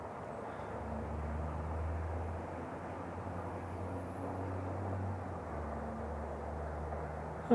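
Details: A steady low engine drone with broad rumbling noise, and no bird or other animal calls heard.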